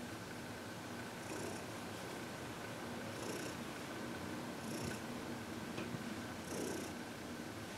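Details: Happy senior cat Heidi, aged 14, purring through a massage and reiki session in February 2021; low continuous rumble with airy breath bursts about every one and a half seconds in a quiet room.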